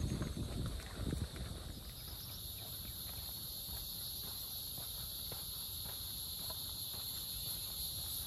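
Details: Many cicadas drone in a steady, shrill chorus high in big trees along the wooded Blackjack Trail, LLELA Nature Preserve, Lewisville, Texas, on May 28, 2023, with footsteps crunching early on.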